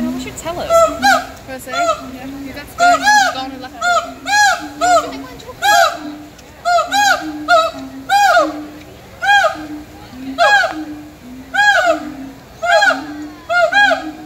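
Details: Siamang gibbons at Disney's Animal Kingdom, Florida, on 20 May 2018 give loud, rising whoops and barks, repeated about once a second in a steady series.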